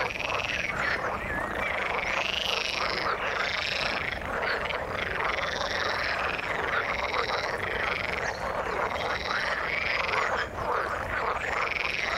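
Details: Continuous frog chorus from the water: looping, warbling trills rise and fall over and over above a steady crackle of overlapping croaks, with no break throughout.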